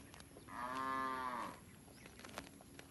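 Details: A single loud, steady moo of about one second from village cattle wandering and grazing in a rice field, rich in evenly stacked harmonics, with faint bird chirps behind it.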